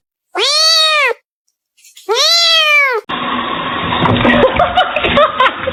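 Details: Domestic kitten crying: two long, loud, drawn-out meows, each arching up then falling, about a second apart, followed by a burst of rough, noisy sound with faint voices.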